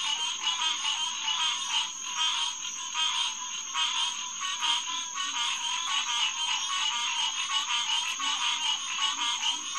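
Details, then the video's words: Hyla cinerea, the green tree frog, in full nighttime chorus at Headquarters Pond, June 2, 2021; pulsing waves of nasal calls swell and ebb every second or so beneath a continuous high whine. "Green Tree Frog Chorus"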